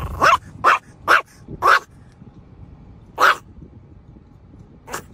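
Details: Pet dog barking in a funny dog compilation: four sharp barks in quick succession about half a second apart, a pause, then two more spaced barks, over a quiet background.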